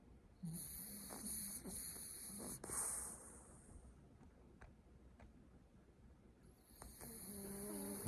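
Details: French Bulldog asleep on its owner's lap, snoring with low rasping breaths near the start, then quieter breathing; a steady high-pitched hiss runs through much of the recording.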